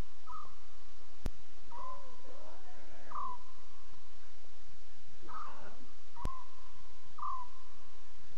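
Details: Lion cubs chattering at 2:40 a.m. CAT on October 5, 2016, during Safari Live: about six short mewing calls with drooping ends spread through the stretch, mixed with raspy grunts and two sharp clicks over steady hiss.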